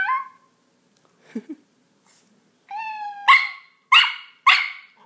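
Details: Pet Miniature Pinscher indoors barking in reaction to a cat soundboard: a few drawn-out meow-like tones, then three sharp, loud barks about half a second apart.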